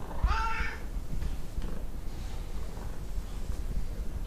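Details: One of two chatty Tonkinese cats, Lu and Barney, domestic Siamese-Burmese crosses, gives a single short, bending meow at the very start, followed by quiet room hum.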